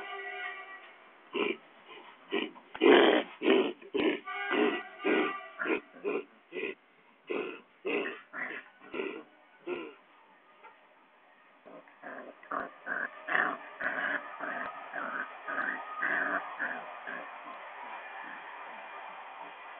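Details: A one-month-old Rottweiler puppy gives rapid, repeated grunting yelps, nearly two every second.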